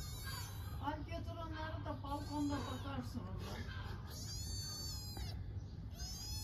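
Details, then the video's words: Stray kitten in Istanbul, Turkey, hungry and calling for its mother cat, gives several shrill, high meows. A woman talks to it in Turkish between the cries, over low traffic-like rumble. "Hungry kitten meows loudly for mother cat"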